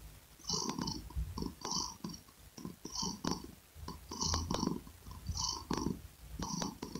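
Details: Domestic cat purring in a close ASMR recording: low rumbling pulses swell and fade roughly once a second, each carrying bright clicky overtones, steady and rhythmic throughout.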